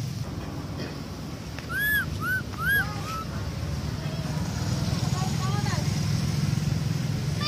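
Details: A baby monkey that was bitten by another monkey that took it gives high, arched squealing cries, calling for its mother over a low rumble.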